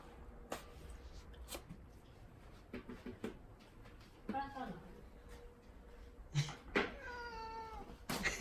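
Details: Pet cat meowing in complaint that its automatic water fountain is not running: two short meows, the second a clear harmonic cry near the end, among knocks and tapping sounds.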